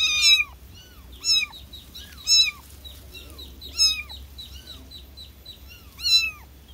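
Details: Young kitten crying for its mother, giving clear high-pitched meows that bend down at the end, about one per second, over a quiet background with light bird chirps.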